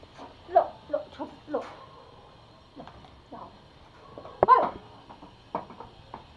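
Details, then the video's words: Pomo, a male toy Pomeranian living in Kathmandu, Nepal, angry and attacking: short sharp yips and barks in uneven bursts, a louder cluster near the middle, with faint voices in the room. "Angry Pomo attacking"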